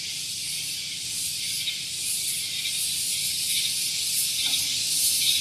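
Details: Shrill buzzing of cicadas one morning at Gunung Geulis, Bogor, West Java, beside a vehicle parking area. A continuous high whine grows slightly louder toward the end, with fast wavering pulses.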